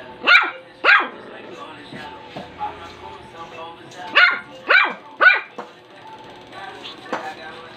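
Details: A two-month-old Shih Tzu puppy named Rum, newly joined to the family, gives sharp high yapping barks in irregular bursts of one to three, with quieter pauses and a person talking softly between them.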